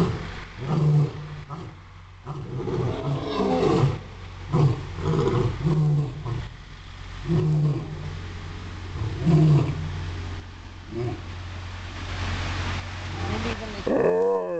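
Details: Zoo lions at Catskill Game Farm, 2006, waiting for their food: repeated deep, throaty roaring bursts roughly every one to two seconds, with grunts between them over a constant low rumble, ending in a sharp clatter.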